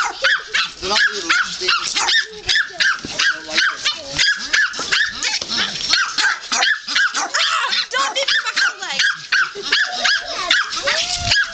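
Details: A litter of puppies mobbing a person in play, yapping in rapid, uneven bursts of sharp high yips, roughly two or three a second, with a few longer whines and people's voices among them.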